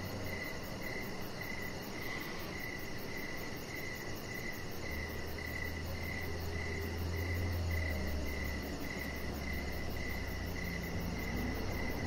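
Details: Outdoor evening crickets by a deck keep up rapid regular chirps while a deep droning hum rises in the background midway and fades again.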